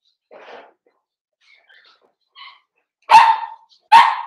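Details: Four-week-old Cavalier King Charles Spaniel puppies from Daisy's litter, kept indoors in a puppy pen, give two sharp, loud yelping barks about a second apart, after a few faint earlier squeaks and whines.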